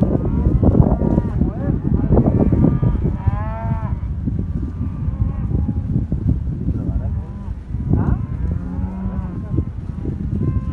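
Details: Angus cattle from a herd of black Angus heifers and cows in southern Córdoba, lowing with deep drawn-out moos, several overlapping, over continuous low rumbling herd noise and faint voices.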